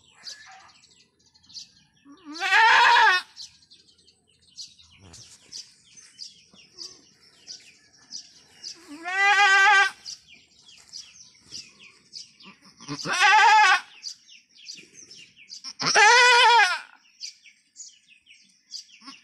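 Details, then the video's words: Labouring goat during her first, arduous delivery on a backyard farm utters four drawn-out, tremulous bleats spaced three to seven seconds apart, with light background rustling and faint chirps between calls. "She ROLLED OVER In PAIN! | ARDUOUS Goat BIRTH!"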